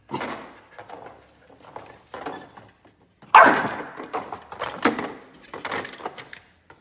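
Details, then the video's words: An angry Chow Chow indoors gives harsh, rasping snarls and short bark-like bursts in irregular clusters separated by brief silences, with the loudest outburst midway through, then several shorter grumbling growls. "Angry Chow Chow"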